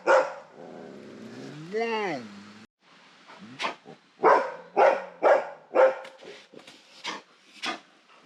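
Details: Asian black bear vocalizing: a drawn-out tonal whine that rises and falls, followed by a run of rapid, rough, bark-like bursts about twice per second, some louder than others.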